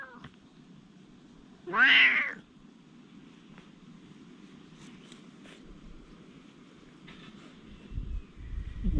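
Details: Stray cats squaring off in a fight, a single loud harsh caterwaul lasting about half a second near the start, then quiet with faint rustling and low background hum.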